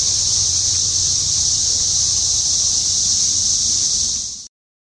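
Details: A steady, piercing cicada drone from insects around a house holds level for about four seconds, then cuts off abruptly, leaving silence.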